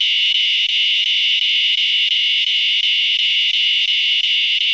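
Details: A northern dusk-singing cicada, which sings right before dark on late-summer evenings in the MD-DC-VA region and is often mistaken for a katydid, gives a steady, high, buzzing drone, pulsing slightly about three times a second.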